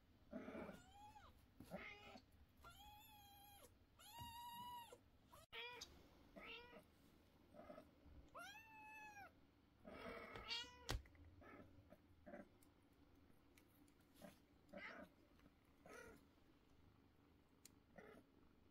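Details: Loud meows from young kittens at home; a run of strong, clear, arched meows in the first half, then softer scattered calls and rustling, with some speech in the room.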